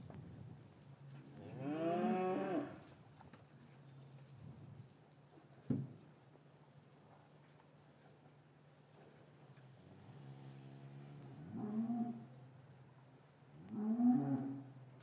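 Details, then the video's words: Cows in a traditional English cattle yard on a winter's afternoon, calves separated from their mothers, gently lowing; three drawn-out harmonic moos near two, twelve and fourteen seconds over a steady low hum, recorded with a matched pair of Rode M5 microphones. "4K Cattle Yard - One Hour Ambient Sound and Video"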